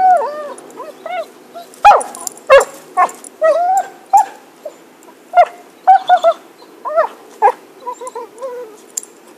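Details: Stick in play, the dog Happy (2012) mixes wavering whimpers with sharp, scattered yips and barks, irregularly spaced, ending in a soft falling whine.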